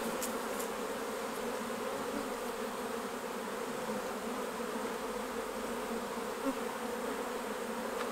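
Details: Buzzing of honey bees around beehives while honey is harvested, a dense, even drone holding steady throughout with faint clicks in the background.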